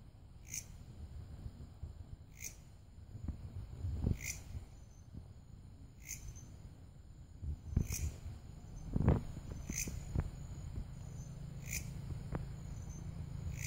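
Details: Grasshopper known locally as belalang kerek, giving short rasping chirps at a steady pace, about one every two seconds. A thin, steady high whine runs underneath, with a low rumble and scattered clicks.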